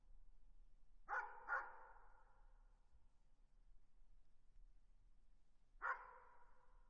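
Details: Distant dog gives two barks in quick succession, falls silent for several seconds, then barks once more; a faint low hum runs beneath.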